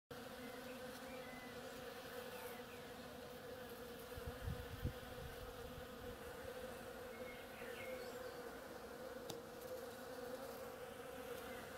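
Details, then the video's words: Bees working on an oriental creeper, a steady drone of many wings humming together with a bright band around the middle, a few faint chirps of small birds in the distance and a brief low thump midway. "Bees hard at work on my oriental creeper"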